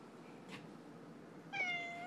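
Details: Pet male domestic cat meowing often while lying on his back; a single clear, drawn-out meow near the end, starting abruptly, holding a steady tone and then sliding slightly lower, after a soft rustle earlier on.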